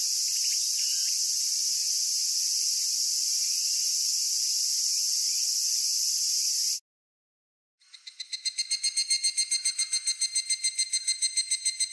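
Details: Cicada song from Japan: a steady shrill buzzing drone that stops abruptly, followed after a second of silence by a different pulsing song, rapid rhythmic throbbing notes that swell in loudness.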